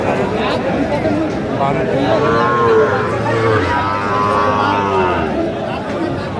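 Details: Sahiwal bull calf at a cattle market in Kurigram, Bangladesh. A low, drawn-out moo rises midway and holds for about two seconds, nearly buried under steady crowd chatter and men's bargaining voices.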